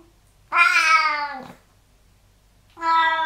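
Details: Domestic cat in a bathroom, fond of water left on the floor: two loud, harmonic-rich meows, the first about a second long and falling slightly at its end, the second starting after a short silence.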